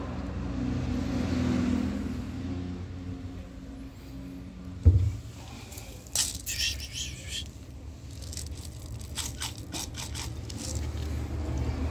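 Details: Outdoor traffic rumble with a sudden knock, then scraping and clicking sounds, and no clear animal call.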